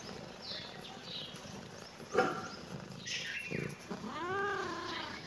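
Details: Kitten meowing in reaction to seeing the camera: a brief sharp sound near the two-second mark, then a drawn-out, arching, tonal meow rising and falling toward the end, over a steady background hiss with faint high chirps.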